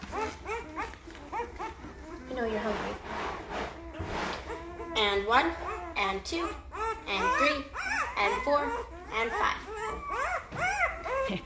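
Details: Great Bernese newborns, five days old, out of Lacey, a Great Pyrenees, by Castle, a Bernese Mountain Dog, growing vocal. A dense chorus of thin, quavering whines and squeals from several pups, punctuated by a few rustling bumps.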